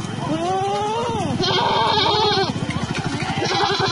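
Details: A Sojat Sirohi goat among males and females for sale at Pune gives a rising-then-falling bleat, followed by a rough, pulsing, throaty call with a steady rattling undertone.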